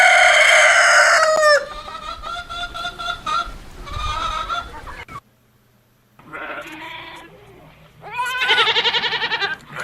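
A goat gives several wavering, quavering bleats separated by short pauses, after a loud opening call that may be a rooster crowing.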